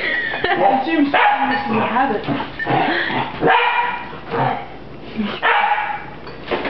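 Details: Young pet puppy battling a broom indoors, sharp yelping barks and growly yips mixed with a person's voice speaking over them.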